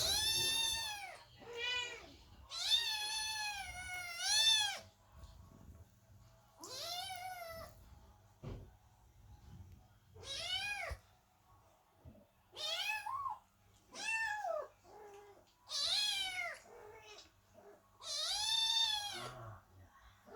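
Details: Several kittens and cats meowing loudly at a door while Chloe the cat gives birth; many clear drawn-out meows, some rising then falling, come in quick overlapping bursts almost continuously across the clip.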